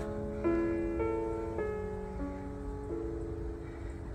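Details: Gentle piano music plays slow, sustained notes over a low background rumble, with no animal voice present.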